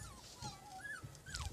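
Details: Siberian Husky puppies in Lahore, Pakistan, giving soft, drawn-out whimpering whines that slide down and then rise again, repeated three times, over a low background rumble.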